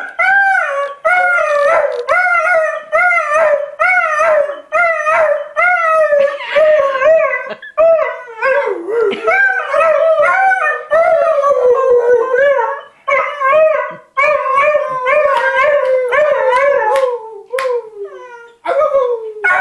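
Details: Airedale Terrier named Avva singing indoors: a long run of wavering, tonal howls with sliding pitch, each phrase rising and falling, broken by brief breaths and yips, steady and loud throughout.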